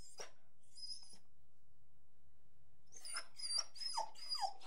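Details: Angry dog in a room: near-silence for the first three seconds, then a quick run of barks with sharp downward-sliding notes packed closely together toward the end.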